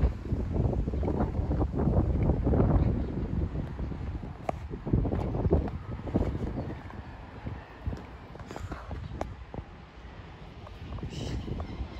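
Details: Low rumbling wind and traffic-like noise with faint voices, and no animal calls stand out.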